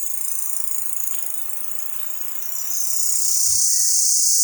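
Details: Cricket, locally called jhijhi poka, calling loudly around a village home; a continuous high, hissing shrill trill with steady rapid pulsing, swelling louder in the second half, with a faint low thump partway through.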